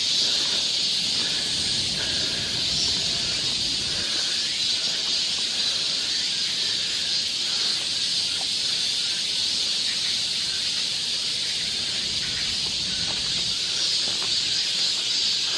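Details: Cicadas singing along a summer forest trail in Seoul, Korea: a dense, steady high-pitched hiss that never pauses, with faint rustling and a few soft lower sounds beneath.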